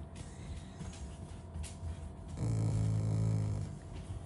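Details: Shiba Inu, a pet dog in a home, growling affectionately rather than in anger while refusing to move from in front of the fridge. One steady, low, rumbling growl of about a second, with quiet room noise before it.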